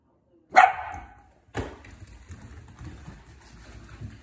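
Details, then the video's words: Bossy Corgi confronting a Swiffer indoors: one sharp, loud bark opens, followed by a second softer bark about a second later, then low rumbling household noise. "Corgi vs Swiffer"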